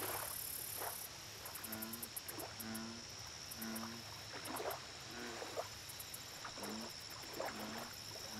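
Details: American bullfrogs at a lake giving scattered, moderately faint deep croaks at uneven intervals, with high rhythmic insect pulsing and a steady background hiss.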